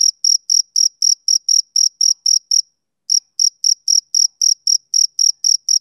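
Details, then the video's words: A male cricket chirps on a summer evening in quick, high, evenly spaced pulses, pauses for about half a second midway, then resumes at the same brisk rate. "Cricket Chirping Sound Effect"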